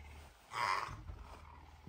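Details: Pet puma at home on a Tuesday morning, up earlier than usual, very affectionate and hungry for breakfast. It gives one brief, mid-pitched, slightly tonal call lasting under half a second over a low, steady indoor hum.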